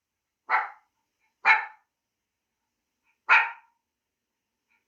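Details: Three single, clipped dog barks spaced roughly one to two seconds apart, each short and punchy against silence.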